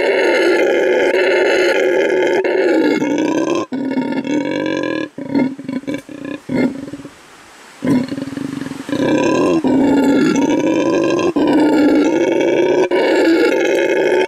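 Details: A male red howler monkey at La Senda Verde Animal Refuge, Bolivia, shows his vocal stamina, roaring in long, deep, rasping bursts with a brief breathy pause midway.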